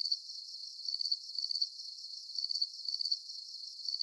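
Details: Nighttime crickets with a full moon overhead, producing a near-continuous high trill broken into quick pulsing bursts, slightly less regular, alone in a still setting.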